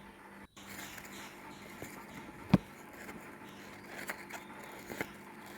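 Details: A quiet indoor room with a low electrical hum, one sharp click midway and faint scraping, where an American Bully waits for food in the morning in Kerala; no barking or other animal voice.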